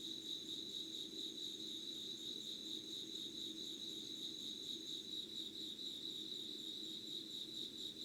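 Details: Late-summer insect chorus recorded at 5 a.m., 25 August 2019, Yugawara town, Kanagawa: a constant high-pitched trill holding steady throughout, with a second thinner tone above it and soft low rumble beneath.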